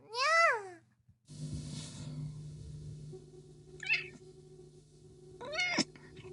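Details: Domestic cat, described as sleeping and enjoying its free time, gives one loud meow with rich harmonics that rises and falls, then two short, fainter chirpy mews later on, over a steady low electrical hum.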